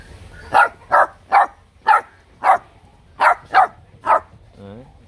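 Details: Young bobtail dog pup, one of a three-pup litter, giving provocative, cheeky barks: a run of eight clipped yaps in groups of two and three, closing with a brief soft whimper.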